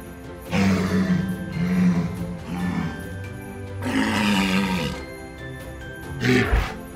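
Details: A walrus (Odobenus rosmarus), an Arctic polar animal, gives deep, rough roars in three drawn-out bursts and a short final one, over soft background music.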